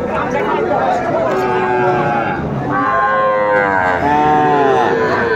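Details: Small bull calves and heifer calves for sale at a Faridpur cattle market on 4 September 2024. Long, drawn-out lowing calls swell in the second half, with men haggling loudly over prices throughout.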